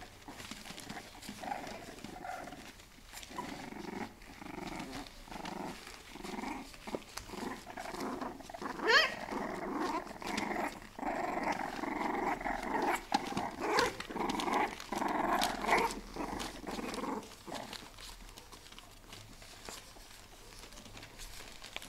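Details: Several four-week-old bulldog puppies growl almost continuously in a playful tussle, a rough broadband rumble pulsing in short bursts for about fifteen seconds before fading to quiet, with faint bumps and room noise.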